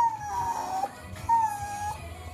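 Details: Miniature Schnauzer Eve whimpers pleadingly, eager to go for a walk: two long, thin, high whines, each sliding gently downward and separated by a short pause, over soft background music.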